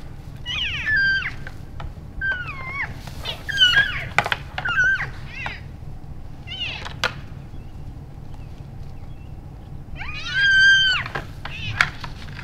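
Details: Healthy elk bulls sparring playfully at the end of January, after the rut, in Canada's Rockies; clusters of falling and arched squealing mews among sharp clacks, a quiet stretch, then a strong bending squeal late on.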